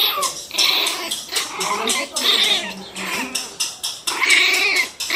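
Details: Pinscher puppies barking fiercely, several small dogs at once: a dense overlapping run of sharp, high-pitched yaps and whiny cries in bursts through the clip, loud and continuous with little pause.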